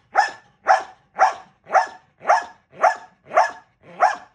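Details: Gamble, a male dog, barking during box work training: eight sharp, evenly spaced barks, about two per second, each loud and clipped, in a quiet indoor setting with no other sounds.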